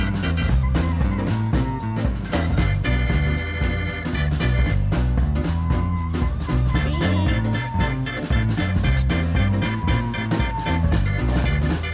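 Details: Loud, steady rock-style music with a strong bass beat and guitar plays throughout, and no animal sound can be picked out.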